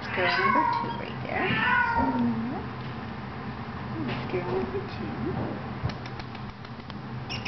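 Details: Two 18-day-old female kittens, recorded 24 February 2009, give several high, thin meows that slide downward across the first two and a half seconds, with soft human talking over and after the calls.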